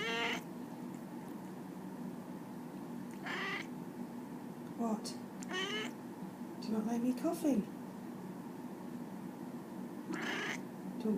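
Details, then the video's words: JJ, a shy pet cat, protesting indoors as its owner coughs: several short harmonic meows spaced a few seconds apart, one with a rising-then-falling slur near the middle, amid the owner's talking. "JJ the talking cat protests at owner coughing"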